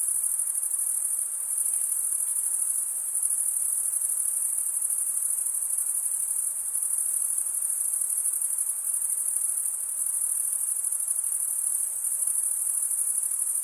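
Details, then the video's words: An unbroken chorus of high, thin cricket chirping, made by males scraping a wing across the serrated vein of the other wing, holds an even level and pitch throughout with slight swells in loudness. "Most relaxing cricket sound"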